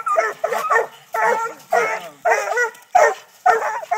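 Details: During raccoon hunting training in Texas, six-month-old Treeing Walker Coonhound puppies sound off at a live-trapped coon on a tree. Longer, wavering bawls of about half a second alternate with short barks, several dogs overlapping.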